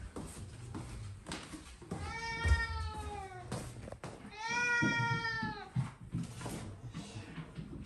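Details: Domestic cat Mame Daifuku outdoors on a walk, unusually walking rather than rolling; two drawn-out harmonic meows, the first about a second long, the second longer and slightly wavering, over low rumbling background noise and faint clicks.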